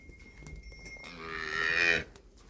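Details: A cow on a Punjab, Pakistan sale farm gives one rising, harmonic moo lasting about a second, swelling louder before cutting off, with a steady faint tone and quiet room noise behind it.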